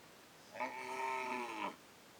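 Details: A tame, docile cow looking for food in the fields gives a single steady, harmonic moo lasting about a second.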